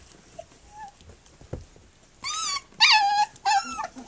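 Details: Three-week-old puppies of Flute, nursing and playing on their three-week birthday, give a quiet stretch of soft rustling before three loud, harmonic whimpering cries that rise and fall, each about half a second long, in quick succession.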